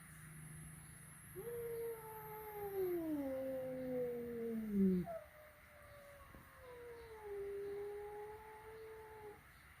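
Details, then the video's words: Adult cat at home reacting the first time a flat-nosed cat meets a peak-nosed cat during play: two long, drawn-out, wavering yowls. The first slides steadily downward over about four seconds. The second holds a fairly level pitch for about four seconds. "Reaksi pertama kali kucing flatnose bertemu dengan kucing peaknose"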